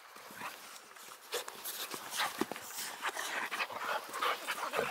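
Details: Male Boxer dog from southern Sweden near Landskrona, excited during a playdate with a female dog: rapid noisy panting and snuffling breaths with scuffling, roughly one burst per second, growing louder midway.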